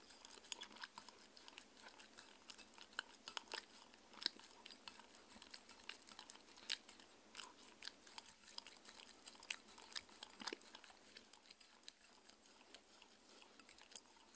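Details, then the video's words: A 6-year-old Shetland Sheepdog named Mindy works through a raw beef dinner. Steady sharp crunching and moist smacking chews repeat unevenly for the whole stretch, with no voices and nothing else clearly heard. "ASMR Dog Eating Sounds 🐶 Raw food Diet 🥩"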